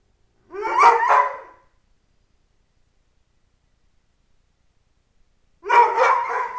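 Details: {'text': 'Happy yodeling from Tyson, a three-year-old pet Dobermann: two loud, bright, warbling vocal bursts separated by about four seconds of silence, each broken into rapid pulsing syllables.'}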